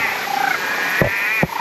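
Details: Frogs calling around Natural Bridge in Springbrook National Park, a World Heritage Gondwana rainforest near the Gold Coast, Australia; a brief stretch of layered, sustained tonal calls with a couple of sharp knocks partway through.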